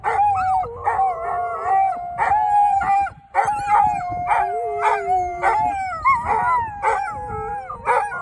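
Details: Group of dogs in Thessaloniki singing out in drawn-out howls. Steady mid-pitched wails overlap, some dipping lower and sliding back up, with occasional brief yips breaking in.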